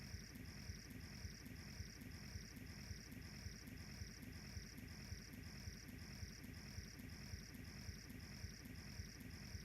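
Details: Grass insects in the savanna grassland of Kenya, with a wood fire burning nearby: an unbroken string of high, evenly spaced chirps, about two a second, over a low droning background and light crackles.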